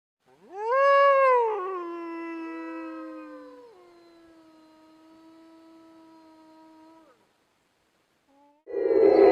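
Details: A gray wolf in Iran gives a long, rising then falling howl, with a second voice briefly joining in.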